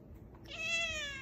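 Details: A female pet cat talks back with a single clear meow after a girl asks what she wants. The meow is bright and nasal, rising quickly, then held level and fading. There is faint room noise before it.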